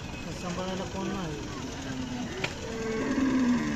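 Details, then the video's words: Kapila cow at the Sangola market on 21 April 2024, not pregnant, having calved three times and now giving no milk; a low, drawn-out droning moo under people talking and general market hubbub. "सांगोला बाजार कपिला गाय"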